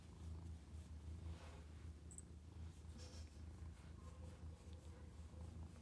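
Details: A Domestic Shorthair mother cat awaiting adoption, recorded 5 May 2021 in the afternoon, gives a low, even, rhythmic purr throughout, with a few faint clicks and rustles above it.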